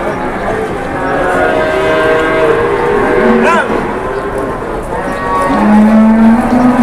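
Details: Angry cow charging amid cattle trading in Indonesia; a low, steady moo rises near the end over continuous chatter and crowd noise, with a brief higher call in the middle.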